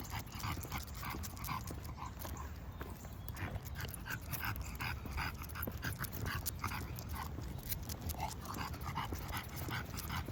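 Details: An English bulldog on its walk pants loudly and quickly, rough snuffling breaths repeating several times a second without pause, under continuous low-pitched outdoor noise.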